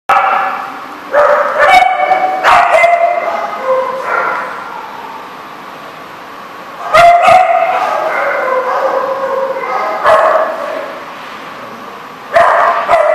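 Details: Several dogs at a dog daycare in Rhode Island, recorded 7 March 2014, barking and yipping in overlapping bursts, clustered in loud rapid runs around one, seven and twelve seconds, with quieter gaps between.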